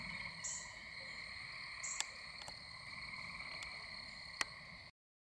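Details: Frogs and toads calling at night in spring or summer around a house near a pond, where Gray Treefrogs and American Toads live; a steady, unbroken high trill with overtones fills the air, broken by a few sharp clicks.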